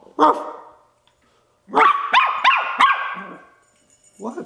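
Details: Ten-week-old Bichon Frise puppy barking because he wants to play: one sharp yap, a pause, then a quick run of four high, bouncy barks and a softer bark at the end, indoors.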